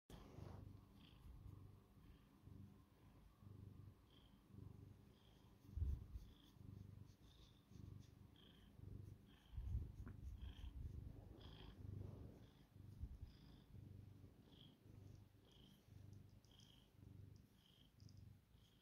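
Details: Domestic cat purring during bedtime head rubs: a steady low rumbling purr with rhythmic pulses throughout, swelling and easing with each breath, faint rubbing and rustling sounds over it.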